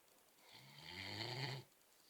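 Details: A sleeping Great Dane gives a single long, rough snore with a low rumbling undertone, lasting about a second, in an otherwise quiet indoor setting.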